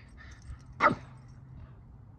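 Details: A single short sharp bark from Kumo the Keeshond or Sully the Boston Terrier during their playful jousting, standing out against low hum.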